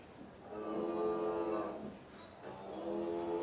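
A cow gives two drawn-out, droning moos, each rich in harmonics and held for over a second.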